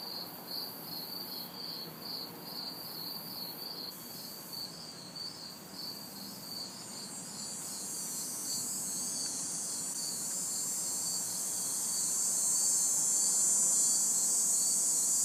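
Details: Summer night insects in a city backyard, hot and humid: crickets pulse in a regular high chirp about three times a second while a cicada's hissing buzz swells louder in the second half.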